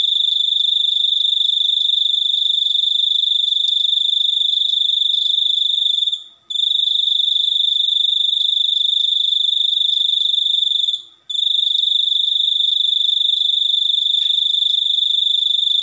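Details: Unusual cricket song used for sleep, songbird training and repelling rats: an unbroken shrill, fast-pulsed trill interrupted by two short pauses, around six and eleven seconds, with nothing else heard.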